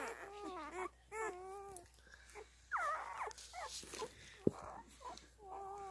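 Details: Newborn Standard Poodle puppies, while nursing, give high, wavering whimpers and squeaks in short bursts.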